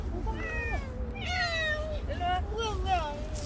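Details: Stray cat named Bolt, fed by people for a year and five months, gives several drawn-out, rising and falling meows in the second half, overlapping a woman speaking Korean nearby.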